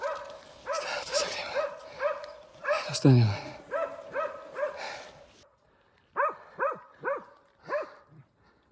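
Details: Alpine Dachsbracke named Falco tracking a boar shot high on the spine, on a morning search in thorny scrub in August 2024; repeated harmonic barks at a steady pace, a man's voice and rustling at first, then a clear run of four barks.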